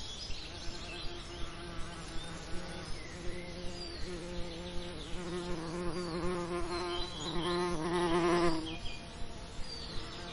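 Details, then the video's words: Bees working summer lavender: a low buzzing drone that pauses briefly, then grows louder and richer as one insect flies close near the end, with high bird twitters in the background. "Relaxing Lavender Summer Ambience & Bee Sound Effects"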